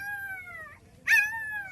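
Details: Street-dog puppy crying for its mother and hungry for milk, in Telugu-speaking surroundings: long high whines with strong harmonics, each slowly falling in pitch, two cries separated by a short pause, a man's voice calling softly nearby.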